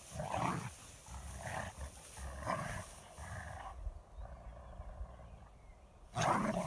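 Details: Dogs playing outdoors in a field give short, harsh barks roughly once a second over steady rushing wind-like noise, then fall quiet before a final loud burst.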